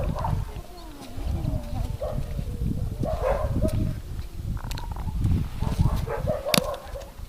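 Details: Male Siberian husky giving a run of gliding, moaning whines and talkative yelps that rise and fall in pitch, closely spaced, over a rumbling background with occasional clicks.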